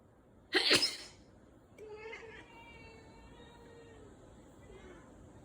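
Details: Several domestic cats protesting all at once after their owner sneezed while filming; a loud sneeze comes first, then drawn-out, wavering meows follow from about two seconds on.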